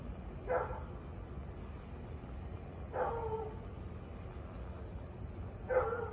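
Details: Husky in Louisville barking and howling for close to 30 minutes, evening of 3 August 2021; three short harmonic barks spaced roughly two and a half seconds apart, faint and far off, with steady insect buzzing throughout.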